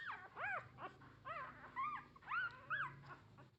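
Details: Nursing puppies, nine in the litter, whimper for their mother's milk: a steady string of loud, arched, whistly whines, each rising then dropping, about three per second at times.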